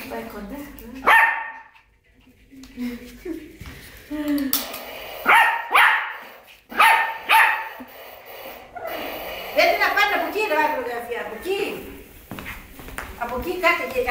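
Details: A Yorkshire Terrier playing and chasing a fake dog gives sharp, high yapping barks in quick bursts over background voices.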